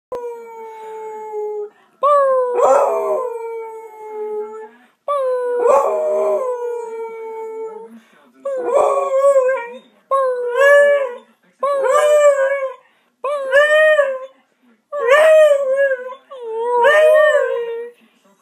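A beagle howls in long, wavering notes that break into shorter, yodelling bays.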